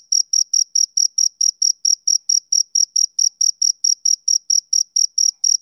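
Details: Male cricket chirping on a summer evening: a steady, rhythmic train of short high-pitched pulses, about four per second, each a clean tonal burst with a faint higher overtone, over an otherwise silent background.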